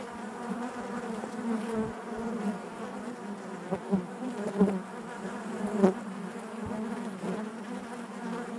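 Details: Honey bees inside their hive, buzzing naturally: a dense, steady low hum with layered overtones, swelling slightly in places and broken by brief soft knocks and bumps from the colony.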